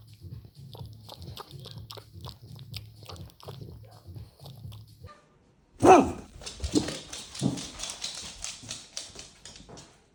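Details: Boxer dog at home indoors: soft rhythmic low snuffling and chewing noises, a brief pause, then one sudden loud harmonic bark-like yelp followed by several seconds of breathy, noisy grumbling snorts that gradually fade.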